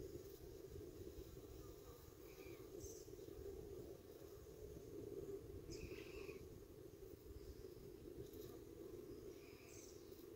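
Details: Honey bees at a hive entrance 45 minutes after robbing, around 5:15 pm: a steady, dense low hum of many wingbeats holds throughout, with brief faint bird chirps scattered above.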